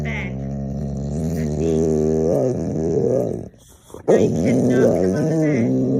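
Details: Pet Boxer dog making funny sounds indoors: a loud, voiced, moaning 'talking' sound with wavering, sliding pitch, broken by a brief pause midway and then resumed in rising and falling swoops.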